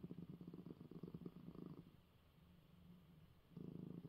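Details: Purring pet cat, male, right after his eye medicine: a low buzzing rumble, loud for nearly two seconds, quieter through the middle, then swelling again at the end.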